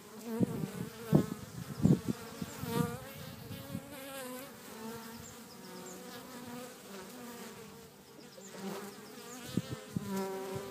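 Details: Garden bees at Cretingham, Suffolk, buzzing close by. Loud, swelling drones surge and fade in the first few seconds as insects pass near, then settle into a continuous hum with a steady low pitch.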